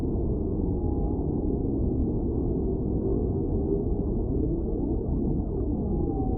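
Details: Whale singing under a steady low rumble of water noise: a drawn-out, slightly higher moan glides in early, and a similar long tonal note returns near the close.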